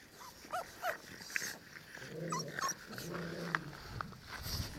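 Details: Ca de Bou puppies, nine weeks old, indoors: short high rising whines and squeaks, a low growl-like rumble in the middle, with soft human speech and handling noises.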